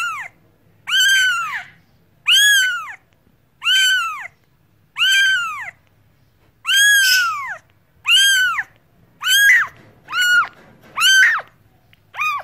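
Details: Domestic cat calling insistently: around ten strong, arching meows, the first ones spaced evenly, later ones coming quicker and slightly rougher, against a near-silent background.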